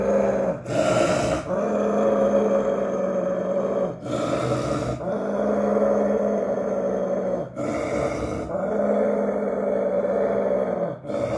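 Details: Aggressive Rottweiler and Pit Bull facing each other, deep sustained rumbling growls in long continuous bouts lasting about two seconds each, broken by brief breaths, with a low droning background.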